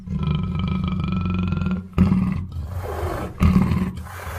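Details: A long rumbling roar from a black panther, then two abrupt loud grunting bursts, over a steady low hum.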